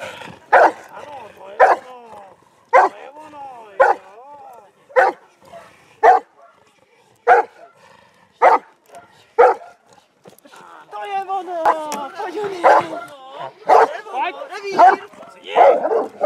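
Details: Hovawart in protection training on 26 January 2014, barking at the decoy in the hide. Loud, sharp barks come about once a second, steady at first, then mixed with a man's excited shouted praise and commands.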